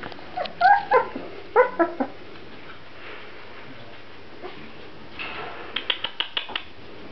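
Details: Grand Basset Griffon Vendéen puppies give a few sharp, high yelps and whimpers in the first two seconds, then quieter short yips near the end, over a low background hum.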